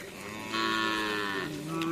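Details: Javanese cattle at training in Pamekasan, Madura: a sustained, rich harmonic moo holding steady for over a second, rising slightly in strength, with background chatter.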